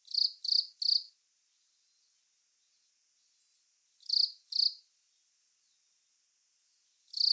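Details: Velarifictous aspersus cricket chirping: three quick high rasping chirps, a silence of about three seconds, two more chirps, then another pause and one more starting, each chirp short and buzzy.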